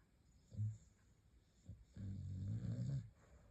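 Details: Sleeping Staffordshire Bull Terrier giving light snores: a short low snort, then a longer, louder rumbling snore over a second long, in a quiet room with faint background hum.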